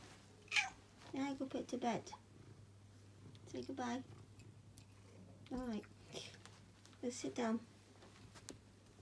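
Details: Pet cat Chloe, a female, being played with indoors: several drawn-out, wavering meows in short bursts, mixed with a person talking to her and a steady low hum in the background.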